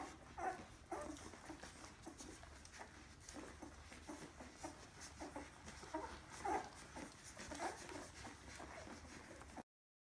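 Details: Kuvasz puppies from 2016 give faint, thin whimpers and short squeaky yips scattered over ten seconds, with soft rustling and low background hum throughout, and the sound cutting off near the end.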